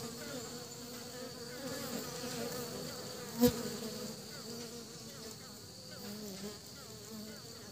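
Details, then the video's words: Honey bees bringing pollen back to the nest in Vietnam: a soft, continuous low droning buzz with a steady hum, a single sharp click midway, and faint background hiss. "Ong mật lấy phấn về tổ"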